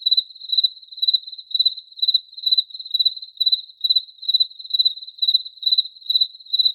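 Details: Cricket song of high, ringing pulse groups, each burst a quick trill, coming about twice per second in a steady pattern with a quiet background.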